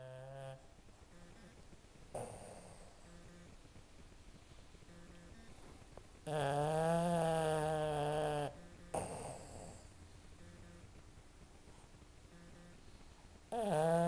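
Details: Sleeping Boston Terriers snore in loud, buzzy, rattling bursts between quieter breaths.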